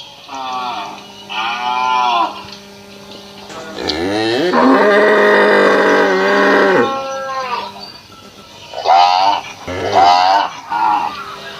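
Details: Indian farm cow from Assam mooing repeatedly: two short bellows, then a long rising and sustained moo of about three seconds, followed by several quicker, clipped moos near the end over a low constant hum.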